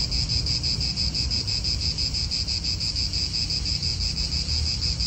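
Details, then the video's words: Cicadas calling in an Italian park: a loud, high, sizzling buzz that swells and dips roughly three times each second, with wind rumbling low underneath. "Cicadas wind real atmosphere in an Italian park"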